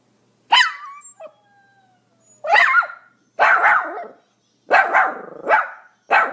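A small Pomeranian barks repeatedly with shrill, yappy notes, each bark brief and slightly rasping. The barks come in irregular bursts about a second apart, a few doubled in rapid succession.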